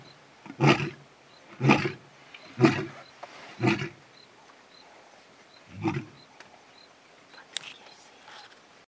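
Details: A male lion at a waterhole in the bush in early evening gives a run of deep, throaty, effortful grunts about one each second, calling the rest of his pride to join him, the sound reverberating through the bush.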